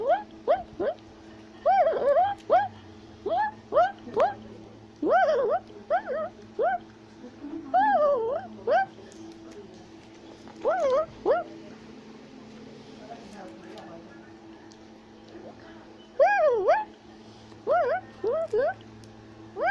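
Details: Tufted capuchin monkey climbing a tree in South America, shouting and chattering: scattered sharp rising whistles and quick chirp clusters over twenty seconds, with quieter lulls between bouts.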